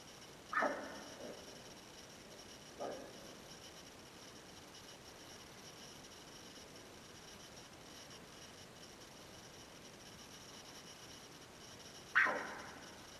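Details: An Altai wapiti (maral) hind (Cervus canadensis sibiricus) at the Baigazan cordon gives three short, harsh barks, spaced irregularly against a quiet background.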